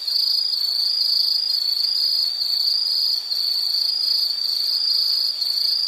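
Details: Insect, likely a cricket, giving a continuous shrill high-pitched trill that runs unbroken at an even level throughout, with no other clear sounds.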